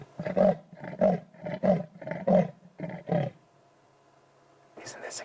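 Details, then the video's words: On an evening safari drive on 13 June 2016, a male leopard gives a rasping sawing call, harsh grunting strokes like wood being sawn, while a male lion also vocalizes in the distance; the leopard seems to be listening for rivals. "incredible we've had male lion and male leopard vocalizing in one Safari"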